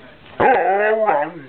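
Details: A dog speaking on command gives a drawn-out, moaning howl-like vocalization with rich harmonics, rising briefly then holding steady for about a second, ending with a second shorter rise.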